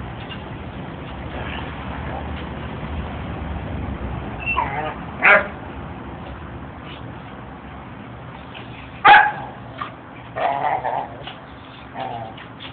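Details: Shelter dog barking while playing with a person: a few sharp, isolated barks, one near five seconds and another near nine, then softer yips toward the end, over a constant hiss of background noise.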